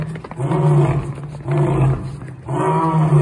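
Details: African lion roaring in three deep, rumbling bursts, each about a second long with short pauses between, heavy low tones and strong harmonics; nothing else is heard.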